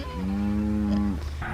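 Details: A cow (mother) gives a long, steady, low moo, hollering for her calf after the calves were sorted out from the herd to go to the sale barn; she is expected to keep calling until they are picked up.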